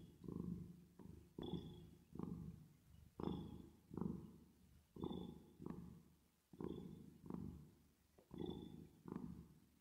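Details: ['Cat purring while at rest and asleep, treated with reverb; continuous low vibrating drone broken into regular surges, around a dozen breath cycles, each ending in a brief higher hiss.']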